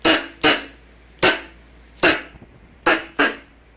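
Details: Squirrel calls, a recording used to lure squirrels for hunting: short, sharp, harsh chuck notes, single or in quick pairs, six in under four seconds, with quiet gaps between.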